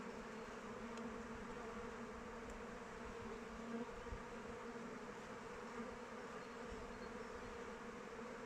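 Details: Kept honey bees flying around their hive in open weather, a steady, dense hum of many wings with a low drone and a brighter mid-pitched band, holding even throughout with faint ticks of passing bees.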